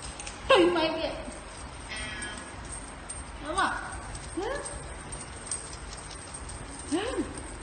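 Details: Family pet cat meowing indoors: a loud, wavering meow opens, followed by three shorter, softer arched meows spaced a few seconds apart, with low human voices and household noise underneath.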